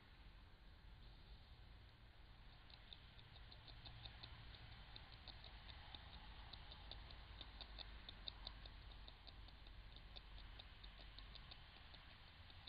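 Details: Eurasian beaver in the Ooijpolder near Nijmegen, Netherlands, feeding on willow bark and twigs, captured by a Bushnell Trophy Cam HD Max trail camera; after a quiet start, quick irregular gnawing clicks, about two per second, ride over low steady hiss.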